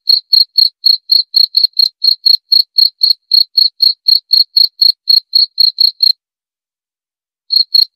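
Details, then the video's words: Cricket chirping steadily, a clean high pulse repeated about four times a second, with a short pause near the end before the chirps resume; nothing else heard. "Suara Jangkrik"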